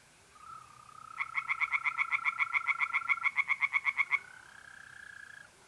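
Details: Tree frogs singing by night in a pond in North-East Italy in mid-April: about three seconds of fast, evenly spaced croaking pulses, roughly seven per second, over the steady high trill of mole crickets.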